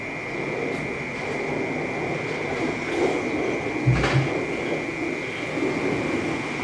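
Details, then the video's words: Cicada calling in the city: a continuous, steady high buzzing drone held at one pitch throughout, under a heavier low rumble of traffic with a brief louder thump midway. "เสียงจั๊กจั่นในเมือง Cicada In The City"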